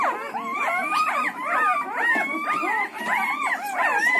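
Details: A litter of newborn Siberian Husky puppies, between one and ten days old, crying together: overlapping high, thin whines that rise and fall in arching slides, layered into a dense, continuous chorus with no quiet gaps.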